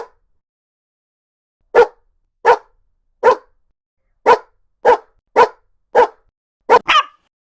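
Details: Dog barks from a compilation of barking dogs of various breeds, large and small: nine short, sharp barks spaced roughly half a second to a second apart, the last two coming close together, with silence between them.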